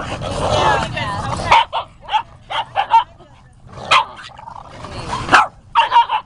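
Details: Boston Terriers at a monthly San Diego Boston Terrier Group meetup at Dusty Rhoades Dog Park, up to 25 dogs playing; short sharp barks burst out irregularly, about one every two seconds, after a person talking at the start.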